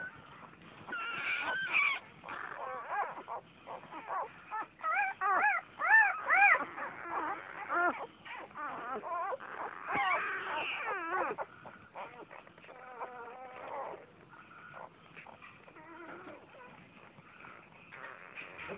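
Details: Young Vizsla pups give high, arching whines, each note bending upward then down, several in a row. The calls are loudest early, then soften into scattered, quieter squeaks toward the end.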